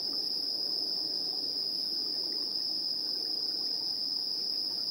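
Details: Insects chirping in the evening at 7:04 PM on 3 September 2022, recorded in stereo with a handheld recorder's built-in microphones: a dense, continuous high shrill drone holding steady throughout, over soft low background hiss.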